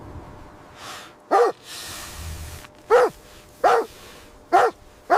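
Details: Mother dog and puppies at play on snowy ground in winter; sharp barks repeat roughly every second, five clear ones with quiet gaps, and a soft broad rushing noise between the first two.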